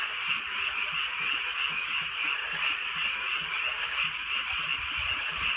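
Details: Many frogs calling on a drizzly countryside night: a dense, continuous wall of overlapping pulsed croaks forming a steady shimmering trill, with soft scattered low patters of light rain beneath.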